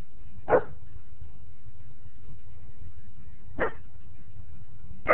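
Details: German Shepherd in a backyard barking at a neighbour's dog: three short, sharp single barks spaced roughly three seconds apart, over a low steady background rumble.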